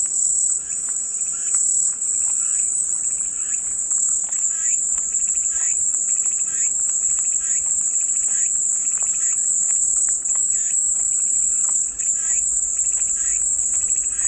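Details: Steady, piercing cicada drone lasting the whole stretch, with soft irregular chirps and clicks underneath and no pauses.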